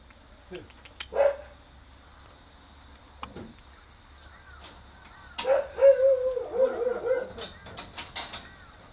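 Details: Akita puppy roaming freely and looking around in a garden; brief high tonal whines, one short cry early, then a longer run of wavering whimpers near the end, with faint rustling and quiet background.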